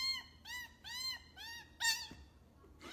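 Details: Kitten meowing in a quiet indoor space: five short, clear, tonal mews, each rising then falling, repeated about every half second, with a slightly harsher fifth call and a soft knock at the end.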